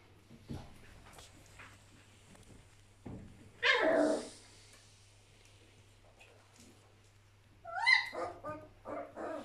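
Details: Young Border Collie puppies romping together: a brief rough, breathy outburst around the middle, then a cluster of high, squeaky yelps and short barks toward the end, over quiet background scuffling.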